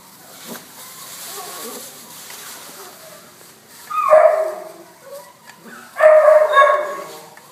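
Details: A blue-coated American Staffordshire Terrier, filmed 2-10-12, lets out two loud, tonal barks about two seconds apart over a low background murmur with faint human voices.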